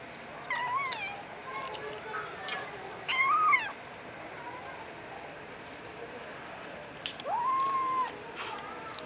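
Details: Domestic Short Hair kitten, a Filipino Puspin cat, at home in the Philippines making funny sounds: a few short, bending meows, some rising then falling, spaced over several seconds against a steady background hiss.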